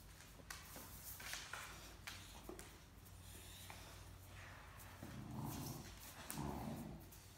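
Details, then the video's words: Great Dane puppy Mikey, indoors, playing and tugging over a stuffed toy with Ellie, another Great Dane, letting out low puppy growls and grumbles that swell near the end, with rustling and movement noises in a small room. "Talkative Puppy and Great Dane Want the Same Stuffed Toy"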